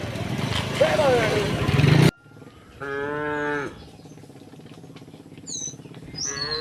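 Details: Tame cows, dozens of them, walking up a path toward a green hill in the countryside; loud rough noise for two seconds, then a short clear moo under a second long, with brief high bird notes afterward.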